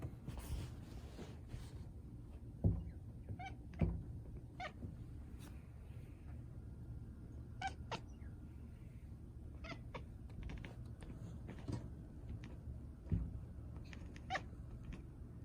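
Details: Domestic cat making a strange sound on seeing a bird: short, sharp clicking bursts scattered irregularly, several clustered around the middle and end, over a low indoor hum.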